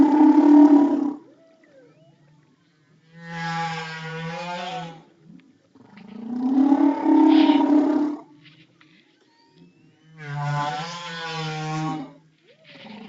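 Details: Humpback whale song, from a very vocal whale whose sounds range from 20 Hz to 8 kHz: long, moaning, harmonic units with wavering pitch, separated by short pauses.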